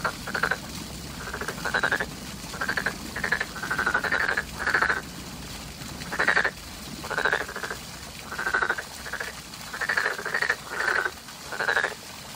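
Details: Frogs calling in spring, a dense chorus of rapid pulsed croaks in bursts of about half a second, overlapping callers repeating almost continuously, with a steady background hum.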